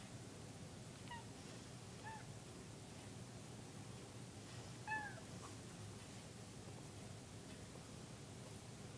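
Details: A domestic cat watching little birds out a window gives a few brief, high, squeaky chirps over steady low background noise; the owner says it sounds like a duck.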